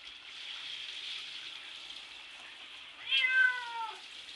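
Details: A domestic cat named Bubby, bathed and scratching at the shower door to get out, lets out a single sharp descending meow late on, over steady hissing water.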